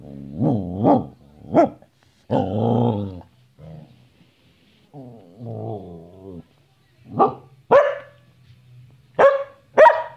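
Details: Bonnie the Samoyed, a pet dog, talking and playing: drawn-out, wavering woo-woo vocalizations with rising and falling pitch mix with growly moans, then a run of short, sharp barks near the end.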